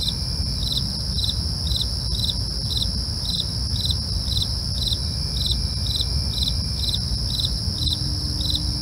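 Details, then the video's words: Night chorus of crickets, regular chirps pulsing roughly twice per second above a continuous shrill buzz and a soft low background hum. "night crickets asmr for you, can't sleep? try to relax with our real sound"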